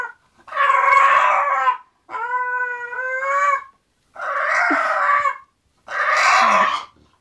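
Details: English Bulldog Zenuś going to sleep, voicing four long complaints in a row: rough, breathy groans alternating with one clear, steady, tonal whine, each lasting about a second or more with short pauses between.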